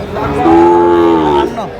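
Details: Sahiwal cattle at a busy livestock market in Bangladesh giving one sustained, level moo of about a second, with rich harmonics, surrounded by men bargaining in Bengali and crowd murmur.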